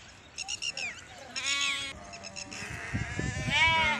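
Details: Grazing sheep and goats herded by Rabari Maldhari pastoralists in Indore, Madhya Pradesh, give several high, quavering bleats in quick succession, some overlapping, with a longer rising-and-falling bleat at the end and a voice murmuring beneath.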